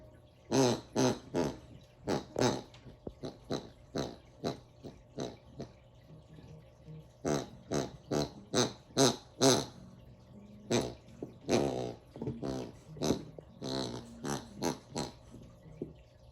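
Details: A Bernedoodle puppy playing with his toy gives rapid, pig-like grunts and snorts in short uneven bursts.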